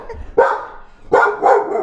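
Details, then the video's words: Female domestic dog barking like a maniac at home as her owner records; sharp, abrupt barks, one near the start and a doubled pair about three-quarters of a second later. "okay my dog is barking like a maniac so I should be doing this more in my office where she can rest and now she wants she's spying at me for"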